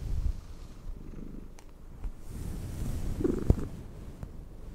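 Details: Cat purring while brushed, a quiet low rumble with soft irregular swells and a couple of brief brushing taps near the end.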